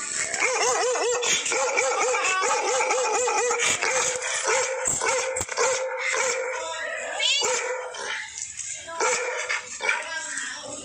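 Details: Bakarwal dog barking at a stranger: rapid, rough barks in a long run of repeated bursts, about one per second at first, then fading into scattered yelps with background hiss.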